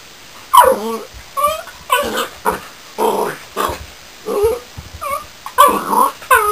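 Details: Border Collie puppy named Reb, newly arrived in its home, giving a run of short, high yips and whiny, growly little barks, roughly nine bursts in under seven seconds, each with a bending, tonal quality.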